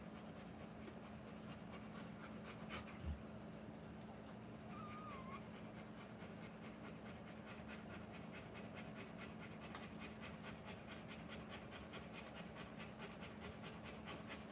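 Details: A Rottweiler giving birth to puppies pants in rapid, steady breathy pulses that grow more distinct in the second half, over a constant low electrical hum, with one brief knock near the start.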